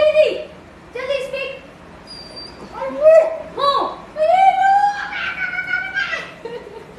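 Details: Pet dog whining when asked to do something: drawn-out, high nasal whines that rise and fall, with one long, steady whine near the end, mixed with people talking in Hindi.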